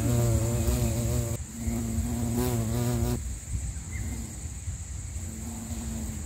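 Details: Bumblebee (Bombus pennsylvanicus) filmed in Sri Lanka: a strong low wingbeat drone for about three seconds with a brief dip, then it fades to a faint distant hum, a soft steady high tone running throughout.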